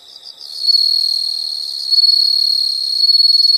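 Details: Shrill, continuous insect trill from nature, starting after a soft half-second of quiet chirps and holding steady and loud with slight pulsing swells until the end.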